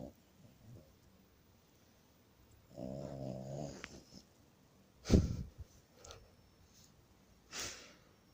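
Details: Asleep, the French Bulldog Masya lets out one rattling, low snore about a second long against quiet breathing, followed later by two sharp, brief snorting or rustling bursts.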